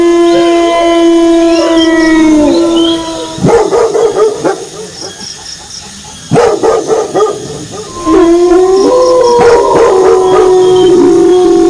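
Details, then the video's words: Wolves howl with dogs barking: drawn-out howls slide gently downward, broken mid-clip by bursts of sharp, rapid barks and yips before a fresh chorus of overlapping howls rises again. "Suara Longlongan Serigala disertai Gonggongan Anjing"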